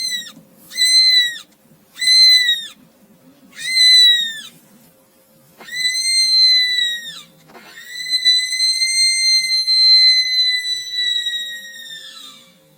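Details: Cat sounds beside a just-rescued newborn kitten during nursing: several short, high, harmonic mews, then longer drawn-out cries, the last one held steady for about five seconds before fading.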